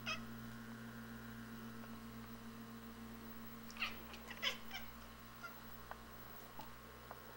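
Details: Feral cats indoors chattering through the front window at a robin in the yard: a cluster of short, sharp, clicky bursts in the middle, then scattered faint chirps, over a steady hum.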